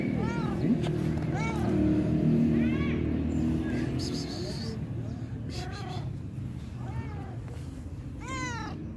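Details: Fluffy-furred stray cat, very hungry, crying with a series of loud, bending meows. Each one rises then falls and repeats about every second, with a low rumble and faint voices underneath.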